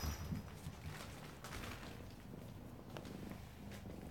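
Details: Kitten purring loudly in a small room in the morning, soon after coming in; a steady low rumbling purr runs through the whole stretch, with faint rustling and soft bumps.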